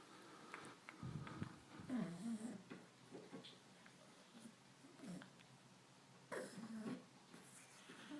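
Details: Carol, a pet cat, coughing without meowing at 11:20 pm on Saturday, September 29, indoors: two harsh, rasping bursts low in pitch, one lasting over a second, then a shorter hack about five seconds later, with brief rustling between.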